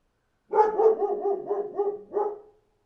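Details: Dog outside giving a sustained, tonal run of about six rapid, pulsing bark-like notes over two seconds, each note rising and falling in a wavering, almost howling rhythm, with a clean, quiet background.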